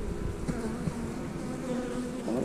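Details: Many honey bees in an open hive during an inspection, with the colony described as nearly ready to split: a continuous droning buzz with wavering tones and light clatter of frames.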